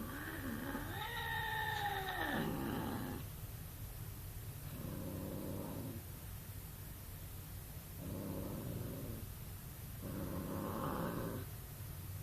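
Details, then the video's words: Domestic cat letting out a long, wavering, harmonic yowl that swells and dips over about two seconds, then three low, rasping bursts spaced roughly three seconds apart over a steady low hum. "cats orgasm"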